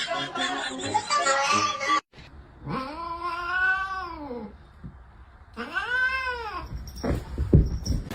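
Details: Cat being teased: after a burst of loud mixed noise, two drawn-out arched meows rising then falling, each over a second long, followed by thumps and rustling.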